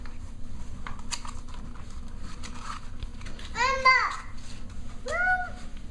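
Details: Six-week-old Cavalier King Charles Spaniel puppies during playtime: two high, arched, harmonic whines, the first a quick wavering run of cries, the second a single rising-falling yelp, over soft background voices and household rustling.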